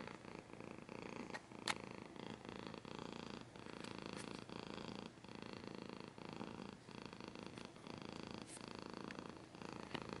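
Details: Cat purring with scratching noises, a steady low rumble interrupted by sharp clicks and light scratches, purr pulsing rhythmically with each breath across the whole stretch.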